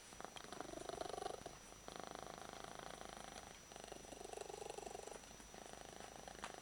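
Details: Yuki, an odd-eyed house cat, purrs hard while being held in someone's arms; a steady throbbing purr in breathing cycles of roughly one and a half seconds, each swelling then pausing briefly, with a few soft spoken words nearby.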